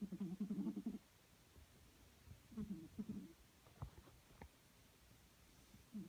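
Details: A female Snowshoe Siamese cat snores in her sleep, possibly dreaming, in low, rough, rumbling bursts, each breath a buzzy pulse. She is a habitual snorer.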